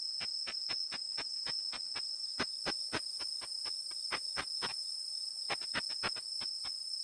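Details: Bat-detector rendering of the ultrasonic call of the katydid Tettigoniopsis ikezakii in Japan: evenly spaced dry clicks for almost five seconds, a short break, then a quicker cluster of ticks, with a steady electronic hum throughout.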